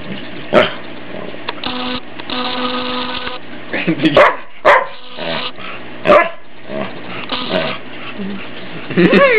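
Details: Ike, a family dog, barks in scattered single yips while teased playfully at home; a person talks and laughs between the barks over a constant background hum.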